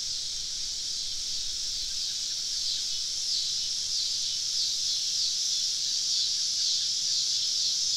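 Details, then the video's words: Cicada chorus from deep woods on a summer evening during a camping trip, insects all around; a continuous shrill buzzing wall of sound with faint, slow pulsing ripples through it. "Southern Evening Summer Cicada Symphony"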